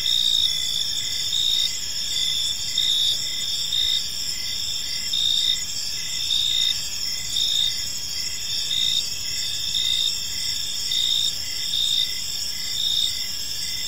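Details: Crickets fill a calm evening park with continuous high chirping, rhythmic pulses repeating about once a second over a dense, unbroken shrill chorus.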